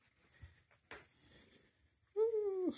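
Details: Bon Bon, a female Tonkinese cat, gives a single loud meow of about half a second that holds steady, then slides downward in pitch at the end. Before it come quiet rustles and a faint, affectionate human voice.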